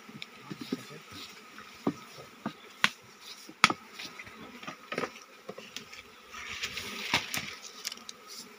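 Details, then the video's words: Honey bees in a forest hive being harvested for honey by workers without protective gear, a low droning hum running steadily beneath scattered sharp clicks and knocks of handling, with a faint steady tone higher up. "TANPA PENGAMAN NGAMBIL SARANG LEBAH ?"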